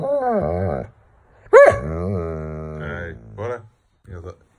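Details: Doberman annoyed at not being played with makes wavering, talk-like whines and grumbles that swoop up and down, followed by a couple of short, softer grunts.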